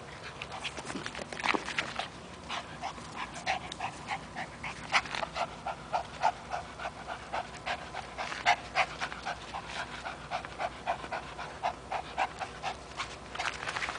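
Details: Playing with a rope, the three-year-old Chihuahua terrier Toby keeps up fast, airy panting, many quick puffs per second in an unbroken rhythm from start to finish.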